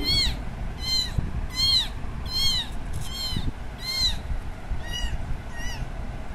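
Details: Kitten searching for its absent mother cat, loud high-pitched cries arriving roughly every three quarters of a second, each a short rising-then-falling meow, with low background noise underneath.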